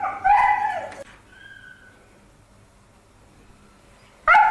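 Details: A Siberian Husky mother, playing with her pup, gives a loud, yowling, up-and-down vocal burst, then another after a quiet pause.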